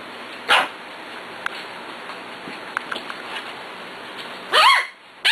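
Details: Six-week-old puppies playing, one sharp yip near the start, then a louder squealing bark with rising and falling harmonics near the end, over steady low room hiss.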